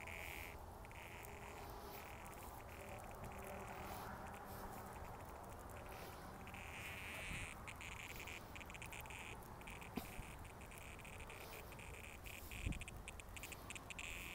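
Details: Sidewalk cicadas filmed in 2020 give a pulsing, broken buzz that cuts in and out throughout, with a faint hissing layer above it, set against steady low-pitched background rumble and a couple of sharp clicks.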